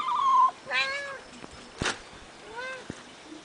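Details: Eight-week-old kittens, three littermates on a finca, recorded 11 May 2011, give a short high meow, then a longer harmonic-rich mew and a brief rising mew near the end, with soft clicks and one sharp knock between.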